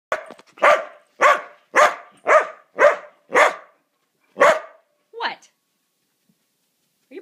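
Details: Mudi dog barking in a quick run of about seven sharp, bright barks roughly half a second apart, then a short pause and two more higher, thinner barks, with a faint sound at the very end.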